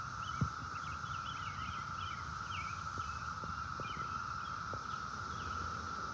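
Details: Cicadas, many clustered on a tree trunk and on the ground, hold a steady, high, unbroken whine throughout, with faint bird chirps above.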